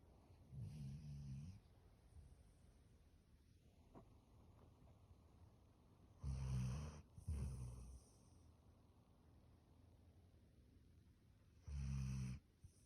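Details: Standard Poodle fast asleep in bed, giving low, rough snores in short bursts, two close together near the middle and others several seconds apart, over a quiet room.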